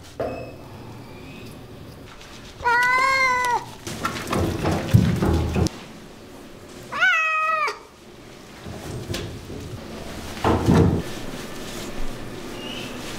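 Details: A domestic cat being groomed gives two wavering meows about four seconds apart, with rustling, thumps and handling noise in between.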